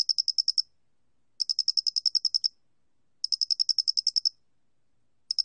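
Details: Square-headed cricket (Loxoblemmus doenitzi), a 2020 recording from Korea's National Institute of Biological Resources: bright high pulsed chirp trains of about eight to ten rapid ticks, repeated after pauses of roughly a second, on a silent background.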